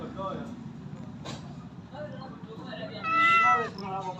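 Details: A domestic cat gives a single drawn-out, tonal meow near the end, preceded by a low background murmur of voices and room noise.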